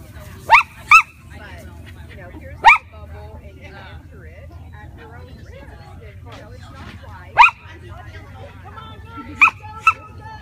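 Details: Shih Tzu dog barking while chasing a lure: six brief, piercing yaps, mostly in quick pairs spread through the recording, with a person talking quietly in the background.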